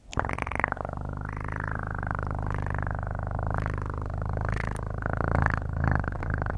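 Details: Steady close-up purring of a house cat, a deep rough pulsing drone with a breathy upper layer that swells and fades on each inhale and exhale, unbroken throughout.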